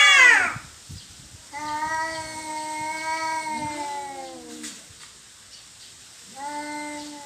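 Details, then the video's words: Cats in a territorial quarrel: a brief sharp squeal opening, then a long low steady moan of about three seconds and another drawn-out howl starting near the end. "Kucing Berantem Rebutan Wilayah"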